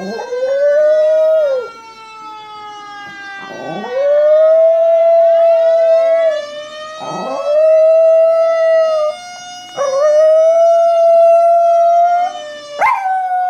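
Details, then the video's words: Chihuahua named Lola howling along with a fire truck siren, imitating it. Four long, wavering howls, each swooping up then holding a steady pitch, with short gaps between them. The siren's smooth tone continues underneath. "Chihuahua reacting to fire truck siren"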